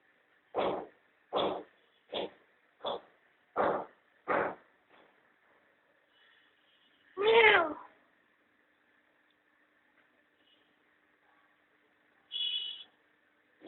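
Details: Domestic cat, a mother with her playful kittens enjoying the sun at home: six short, sharp bursts in quick succession, a pause, then one drawn-out meow with rich overtones, and later a brief high note over a faint steady hum.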